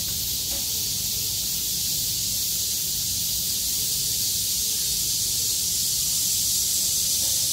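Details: Many cicadas sing together on 6 August 2020 after surviving heavy rain, calling with all their strength once the weather clears. The hissing, high-pitched buzz is steady and loud, with a faint low hum underneath.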